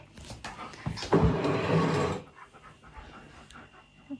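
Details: Husky named Key, pestering for churros and a swiss roll he is refused, lets out one loud, raspy, drawn-out vocal moan lasting about a second, followed by quieter breathy huffs and soft murmurs.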